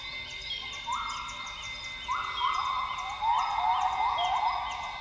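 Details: Northern grey gibbons singing in lowland rainforest at dawn, Tawau Hills Park, Sabah, Borneo. Whoops grow louder and end in a rapid series of short rising bubbly notes, with a steady insect drone throughout.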